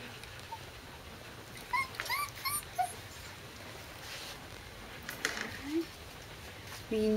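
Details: A litter of corgi puppies recorded indoors on 12 August 2013 gives a cluster of short, rising, squeaky whines, followed by a few soft cries and a woman speaking gently to them.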